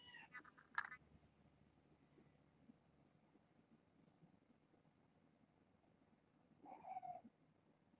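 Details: Domestic kittens from a litter of six, four females and two males, born August 29th to a family pet and later brought to Purrfect Pals. One short meow near the start and a longer, falling meow near the end, with quiet indoor hum between.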